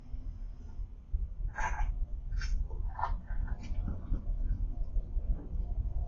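A dog coughs in a quick series of harsh, hacking bursts over a steady low rumble.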